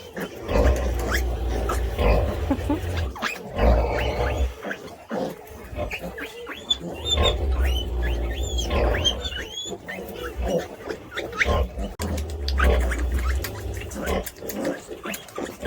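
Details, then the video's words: Sleeping pig snoring like a drunk man: deep, low rumbling snores come in long bursts roughly every two to three seconds, while high chirping birdsong and soft music run through the background. "Свинья храпит, как пьяный мужик"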